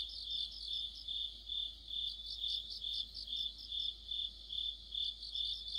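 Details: Crickets and other insects chorus in mid-autumn: a steady high, ringing trill with pulsed chirps that swell and fade about twice a second, overlaid by fainter higher chirping from further callers.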